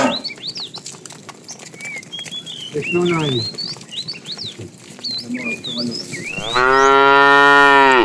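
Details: In a tame cattle herd wandering far to find food, short low grunting calls come first. A sustained, full-throated moo closes the stretch, while birds whistle and chirp throughout.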